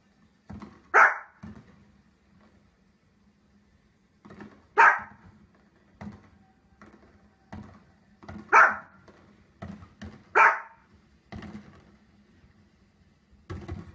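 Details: Barking dog in an indoor room, loud single barks irregularly spaced across the stretch, mixed with quieter knocks and shuffling noises and a low steady hum.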